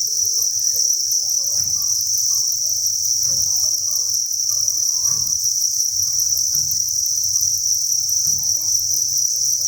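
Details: Cricket farm breeding facility full of crickets chirping in a dense shrill chorus, steady throughout, with regular soft thuds roughly every one and a half seconds and a low background hum.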